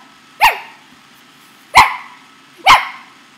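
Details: A playful male Corgi gives three sharp, high-pitched barks at uneven intervals while being coaxed to bark at a camera, snapping at the owner's hand and shirt.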